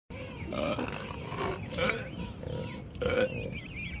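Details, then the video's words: Sluggish elephant seal lying on a beach, burping out loud: rough, gurgling belches in bursts roughly every second or two, with a brief thin wavering tone near the end. "Sluggish Elephant Seal Burps Out Loud on Beach"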